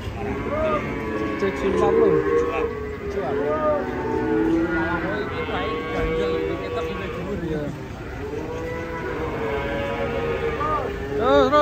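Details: Fat cattle coming down off a truck, with drawn-out lowing that bends up and down in pitch, overlapping men's shouts and background music.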